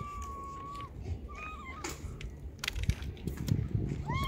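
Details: Female stray tabby street cat near a trash can, hunting for food to survive; several short meows, a long level one first, then shorter bent calls, with clicks, rustling and low traffic-like rumble behind.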